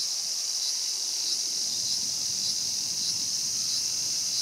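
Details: High, unbroken hissing buzz of a cicada at Showa Kinen Park, Tokyo, in 2020, recorded as a mantis fed on a cicada; the tone stays level with no pauses.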